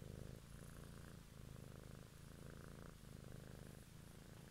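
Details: A cat purrs up close in an evening ASMR recording: a deep, even rumble that swells and dips in rhythm about every second, with faint hiss above and no other sounds.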